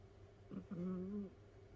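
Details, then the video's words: Mimi, a sleeping rescued house cat living with other cats, lets out one drawn-out, steady whistling snore of about half a second, preceded by a short catch of breath, against a quiet indoor room hum. "だーれだ？猫のいびき who?snoring cat."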